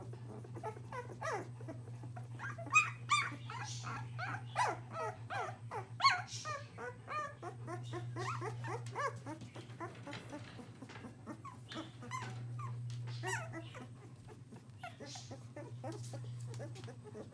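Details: English Springer Spaniel puppies, almost two weeks old and moving about, squeak and whimper in quick, overlapping bursts over a steady low hum.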